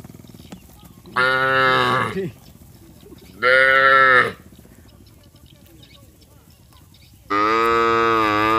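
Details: Herd of village cattle walking together to the rice fields, lowing to one another: three loud, rich, evenly pitched moos, each roughly one second, spaced a couple of seconds apart with quiet between.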